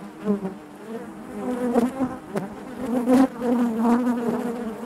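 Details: Inside a honey bee hive, many workers buzz together in a rich, wavering hum, louder surges rising around the middle and end of the few seconds, broken by a couple of brief ticks.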